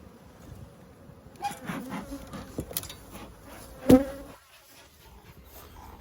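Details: Honey bees at a yellow beehive with plastic frames, Australian beekeeping, 9 October 2021: wavering buzzing of bees in flight around the hive, with sharp knocks and clicks from handling the frames.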